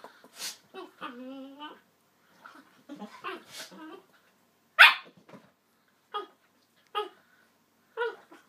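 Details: Yellow labrador puppy, 9.5 weeks old, at play with an adult chocolate labrador: a drawn-out high whine near the start, then short sharp yaps and barks spaced about a second apart.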